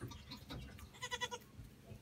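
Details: Baby Pygmy goats playing around: one short, nasal, wavering bleat about a third of a second long, with steady harmonics, set among soft rustling and a person's voice nearby.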